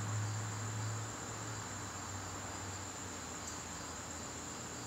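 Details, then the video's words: Garden crickets calling in the evening in September, a continuous high-pitched ringing trill that never pauses, over a low rumble that is loudest in the first second. "garden crickets"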